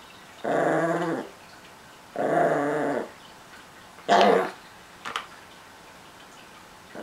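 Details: Chihuahua and Miniature Pinscher mix turning possessive over treats: two steady growls under a second each, a sharper snarl, then a faint click and quiet room.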